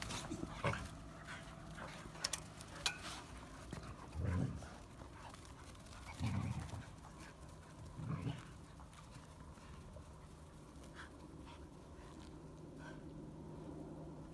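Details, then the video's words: Siberian Huskies playing wildly; short, rough, low growl-like bursts come near the start and again around four, six and eight seconds, roughly every two seconds, over faint rustling and scuffling. "Хаски бесятся"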